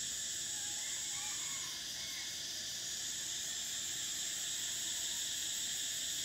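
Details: Cicada song of summer: a constant shrill, sizzling drone. The highest band fades briefly, then returns, with a few faint low chirps underneath.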